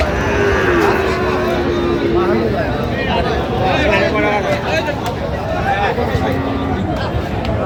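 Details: Sahiwal bull calves at a busy cattle market on 8 November 2025: a drawn-out, slightly falling low moo in the first seconds, then a shorter one later, under constant bargaining voices and crowd noise.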